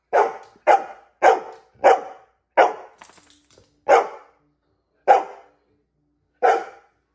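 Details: Female dog barking because she wants a treat: eight sharp, broadband barks spaced irregularly, closer together at first then slowing, with a brief faint rustle between them.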